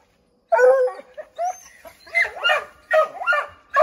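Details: Redbone Coonhounds barking at a chipmunk they have treed in an oak; after a moment of silence, a loud bay is followed by a run of sharp, overlapping barks and yelps about every half second.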